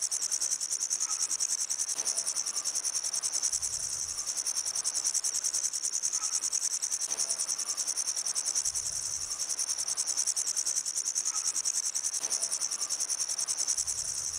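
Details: Grasshopper calling in a continuous high, hissing buzz that pulses rapidly and steadily, with faint regular thumps underneath and no other clear sounds.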